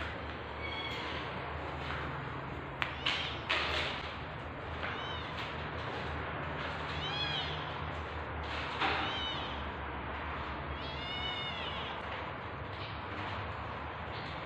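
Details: Birth of kittens to a tabby house cat, possibly a British Shorthair, in labour: repeated short, high mews with a bent, arched pitch, scattered across the recording among handling bumps and steady low background hum.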